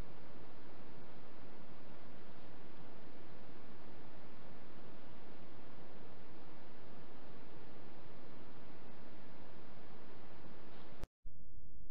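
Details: Only steady broadband noise is heard, ending in a brief dropout, with no animal voice. No calls or other distinct sounds stand out.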